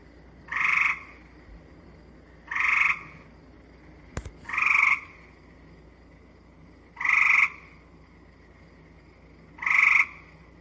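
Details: Gray treefrog (Hyla versicolor) recorded in Manitoba gives short, flat-pitched musical trills with clearly audible pulses, repeated every two to three seconds; less buzzy than Cope's gray treefrog.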